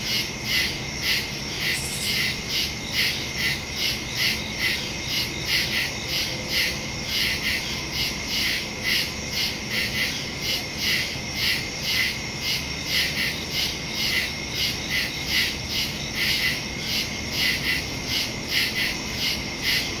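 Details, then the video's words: At night in woodland, recorded September 2, 2023 with a phone and stereo mic, crickets keep up a fast, even chorus of shrill pulsed chirps, about two beats a second, with one brief louder click early on. "Crickets in the woods at night"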